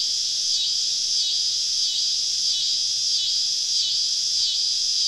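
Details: Cicadas all around a woodland campsite on a southern summer evening, a dense, steady, high-pitched shrill chorus with faint slow pulsing swells roughly every second, no pauses, nothing else standing out.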